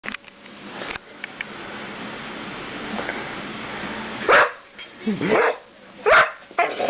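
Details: Winny, a female pit bull who usually has a big bark, gives small chihuahua-like barks indoors after being pointed at: after a quiet room hum, three short, sharp yaps come about a second apart, with a person talking faintly.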